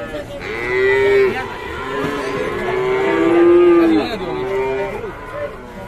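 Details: Raging, aggressive cows giving several loud drawn-out moos, some overlapping, swelling and falling over six seconds, with faint music behind.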